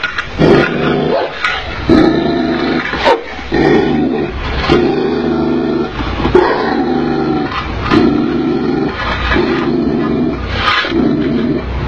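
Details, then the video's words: Tibetan Mastiff dog in an angry mood, barking heavily and deep-voiced in repeated bursts roughly every second, with growling tones between barks. "Tibetan Mastiff Dog in Angry Mood"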